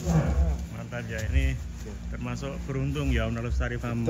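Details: Sacrificial cattle for Qurban 2024, billed as the largest, being unloaded and said to be crying at parting from their keeper; low, drawn-out moos with stacked harmonics, overlapped by men talking nearby.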